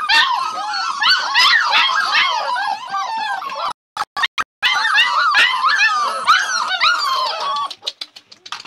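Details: Several Labrador Retriever puppies give a dense chorus of high yelps and whines, packed closely for about four seconds. A few sharp knocks follow, then the calling picks up again before fading into scattered cries.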